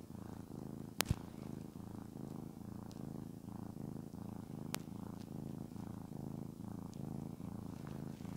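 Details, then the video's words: Shamotra, a pet cat, purrs as she is stroked: an even low rumble pulsing about once a second, two sharp clicks near the start and another near the middle, faint rustles. "Я глажу кошку, а она мурлыкает. I pet the cat, and it purrs."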